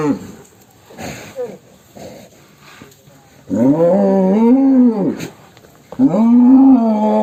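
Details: Enraged cattle coming out of its pen: faint voices at first, then two loud, drawn-out moos, arched in pitch and rich in harmonics, separated by a short pause.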